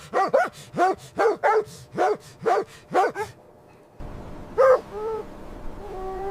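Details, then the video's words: Dog barking while puppies play with their mother dog in fresh white winter snow: a run of about nine sharp, evenly spaced barks, then a brief pause, one more bark and several higher rising whines over a steady background hiss. "Beautiful puppies playing with mother dog on snowy ground – Dog barking sounds"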